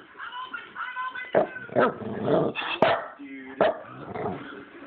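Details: Recorded on a phone, a dog makes funny noises: whining, wavering tones and short bow-wow barks run together, with a person talking faintly underneath.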